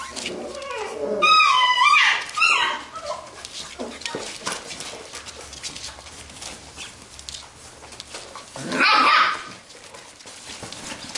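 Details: Playing Labrador retriever puppies of a B litter; a burst of squeaky, wavering yelps and whines early on, quiet scuffling and pattering in between, then another brief high yelp near the end.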